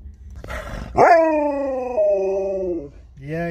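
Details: Alaskan Malamute Sherpa, around the daughter's departure home, gives a long, whining howl that steps down in pitch partway through, then a brief rising yelp. A voice is faintly heard beforehand.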